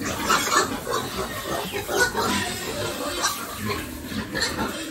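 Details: Family-farm pigs in a busy pen, continuous chorus of grunts with brief high squeals popping out every second or so; faint voices blend into the background.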